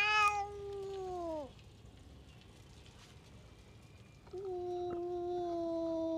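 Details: Tough stray cat lashing out at the cats around it: a long, loud, drawn-out yowl that slides downward and cuts off, a quiet gap, then a second steady, moaning yowl held to the end.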